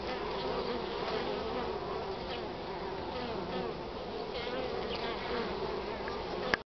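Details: Honey bees foraging pollen from nature for the first time in spring, 8 March, northern part of the country; a constant murmuring drone of many bees that ends abruptly with a click.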